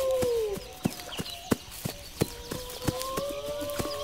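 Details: Quieter wolf howling: a short falling note, then a softer level tone that climbs slightly, both half-buried under loud, irregular sharp clicks.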